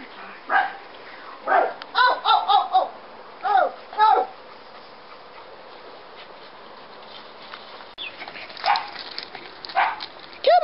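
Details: Scottish Terrier puppies yapping in short, high bursts, a cluster of quick yips early on, then a quiet stretch before a few more scattered barks near the end, with people's voices nearby.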